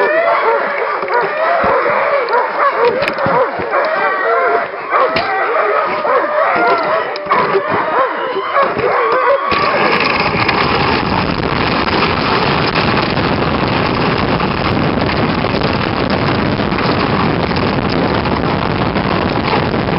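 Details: A pack of Nordiclight Alaskan Malamutes, working kennel dogs, recorded in February 2012 on a little run: excited overlapping howls and yips fill the first half, then a loud steady rushing noise abruptly covers everything.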